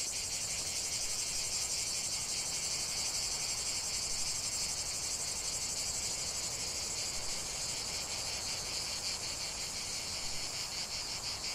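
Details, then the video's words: Cicadas singing in the heart of a lavender field: a dense, continuous high-pitched buzzing chorus, steady and unbroken, with a faint rapid pulsing running through the drone. "ce chant de CIGALES au cœur d'un champ de lavande"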